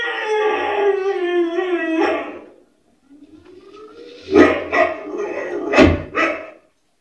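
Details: White Swiss Shepherd dog giving a wavering, tonal howl for about two seconds, a rising whine, then two pairs of loud, rough barks.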